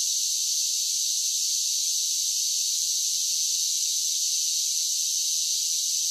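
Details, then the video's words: A constant shrill buzz of cicadas singing in summer, even in loudness from start to finish, with no other animals or background noise. "10 Hours of Cicada Sounds for Relaxation with Soothing Summer Nature Sounds"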